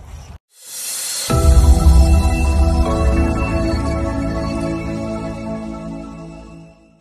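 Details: A brief swish opens into loud, swelling ambient music with deep bass tones that fade out by the end.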